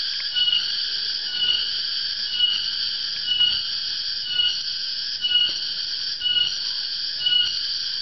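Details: Tonggeret, or garengpung in Central and East Java, a cicada whose loud afternoon calling signals the coming dry season in Indonesia; steady high-pitched droning whine that swells rhythmically roughly every second.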